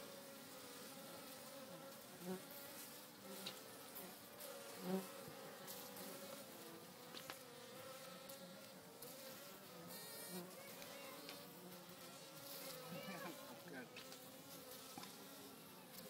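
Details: Western honey bees at a natural hive in an old oak tree on a farm make a steady, droning hum, many wingbeats blending into one low, even buzz.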